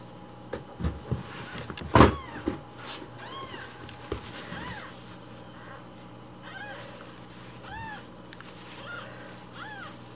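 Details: Baby rescue kittens demanding their morning milk; a loud bang and scattered knocks early on, then a string of short, curved meows from several kittens over a faint electrical hum.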